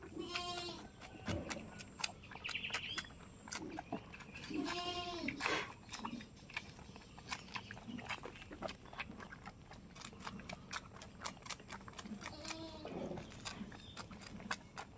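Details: Farm-kept goat in a village bleating repeatedly: several nasal, vibrating calls early on, then another near the end, with dense clicking and tapping noises running throughout.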